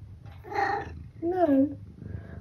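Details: Eric, a 12-year-old tabby cat from the UK, gives two clear meows, the first flat and the second bending downward, about a second apart, with a low background hum.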